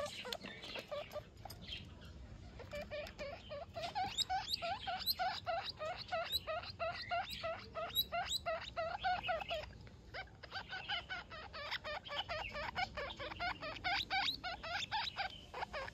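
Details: Young guinea pig calling for its mother, giving rapid, rhythmic chirping squeaks, several per second, each a short tonal pip with harmonics, sustained almost unbroken throughout against a faint background hiss.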